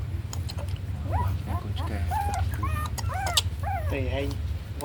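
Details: A milk-powder-fed puppy that is growing slowly cries in rapid, rising-and-falling whimpers, some with several stacked tones, packed closely across five seconds above a steady low droning background.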